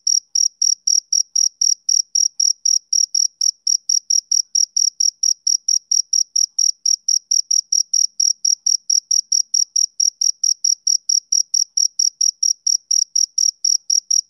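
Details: Rhythmic chirping of a male cricket on summer evenings, a long unbroken train of bright, high, evenly spaced pulses, roughly four each second, steady in loudness against a silent background.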